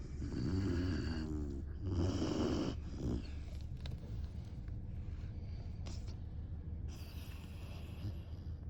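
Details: Great Dane puppy named Saigo-don asleep and snoring heavily: deep rumbling snores with harmonic rattles in two long loud breaths at the start, then softer steady breathing noise.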